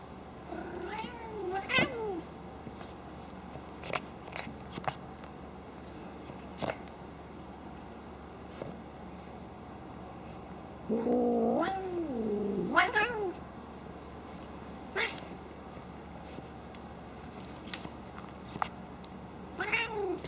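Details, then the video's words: Domestic cat snorting like a pig while playing, not angry; short harmonic vocal bursts with rising-falling tones around 1 s, 11–13 s and 20 s, scattered clicks between, indoors with a person speaking nearby. "Snorting Cat/Kitty sounds like Pig, Funny Noise!"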